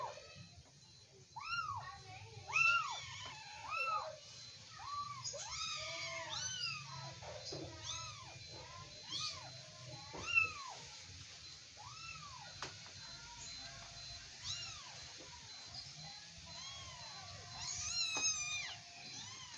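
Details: Persian kittens tussling in play, calling in repeated high arched mews that come in bursts with brief gaps, some louder and sharper, over a faint steady low hum.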